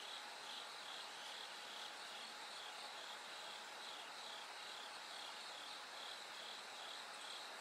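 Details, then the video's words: Bell cricket singing through the night toward dawn as the sky slowly brightens: a high, ringing pulsed trill repeated steadily, about two per second, over a dense hissing chorus of other insects and a faint steady hum. "Sounds of Nature bell cricket Cry of falling insects"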